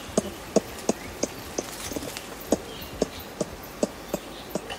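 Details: Contact clucking from adult ring-tailed lemurs feeding in trees, Berenty Reserve, recorded close up: dry, percussive clucks spaced roughly every third of a second, with a faint insect-like hum behind.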